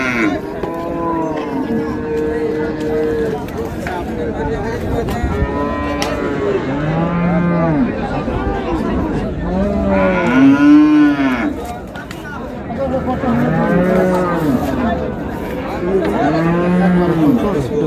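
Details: Many dairy cows and calves of improved breed at Raniganj market, Dinajpur, bellow in repeated arching moos every two to three seconds, several animals overlapping, with people talking in the background and a brief lull near twelve seconds.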